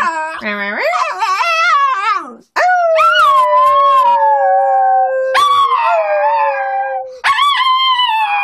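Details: Nine-year-old female dog, moody and grumbling after having the fur trimmed from around her eyes and nose, 'talking' back in long wavering howls that rise and fall, with short breaks between phrases.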